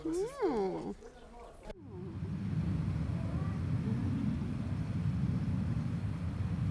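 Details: Cat at the JSPCA animal shelter in Jerusalem, Israel, which cares for street cats: one loud, clear meow that rises and falls at the start, then a short pause and steady low rumbling background noise.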